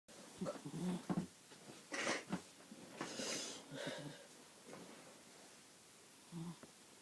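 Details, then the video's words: Sleeping dog indoors: soft, breathy snuffles and short low grunting snores come irregularly, roughly one every second or two, over a quiet room hiss. "Buddy is making noise while he sleeps"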